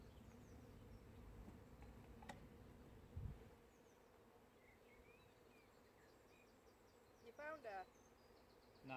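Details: Honey bee swarm that split from an allotment beehive and settled on an allotment in May 2017, a very small swarm. Dense low droning hum for about three seconds, then quieter, with handling knocks and small birds chirping and trilling in the background.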